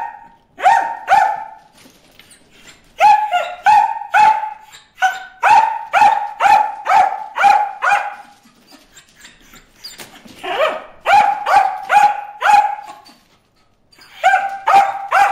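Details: Bruce the dog barks at fish in a water hole, a long run of rapid, sharp, high yapping barks in quick series, broken by brief pauses and then resuming.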